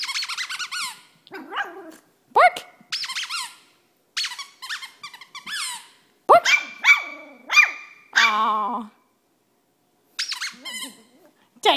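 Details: Indoors, a female Cavalier King Charles Spaniel lets out repeated high yelping squeaks and whines in quick clusters, some notes drawn out and wavering, separated by short quiet gaps.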